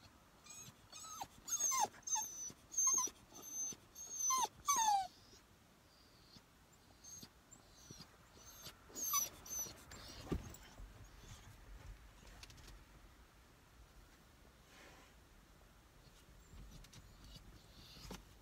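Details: Female dog whining in a car while being trained to stop, wanting to be let out; high, wavering whimpers repeat in short bursts for several seconds, then fade into softer breathing and faint noises.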